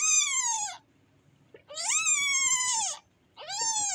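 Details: Young cat giving loud, long plaintive meows, three in four seconds, each bright and strongly harmonic, swelling then sliding downward at the end, separated by brief quiet pauses.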